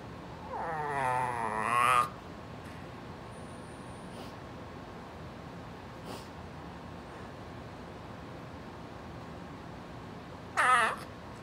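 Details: Pumpkin, a female Brussels Griffon dog, vocalizing to ask her owner to scoot over: a drawn-out, wavering, whiny grumble lasting over a second, then a quiet gap and a brief second vocal burst near the end.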